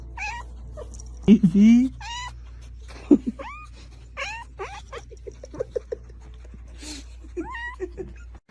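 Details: Scared domestic cat giving a run of short, upward-sweeping mews, bunched closely at times, mixed with people talking over a steady low hum.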